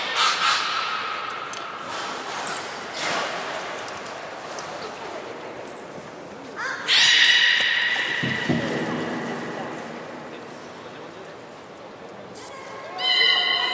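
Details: Young belugas from the children's group at Port of Nagoya Public Aquarium on 5 November 2017, playing while moved between pools: brief high steady pings, then a burst of rising harmonic squeals and a final stacked whistle over splashing water.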